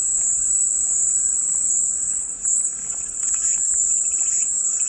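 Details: Calming cicada sound: a dense, high, sizzling buzz sustained without break, dipping briefly in loudness near the middle, over faint low background noise.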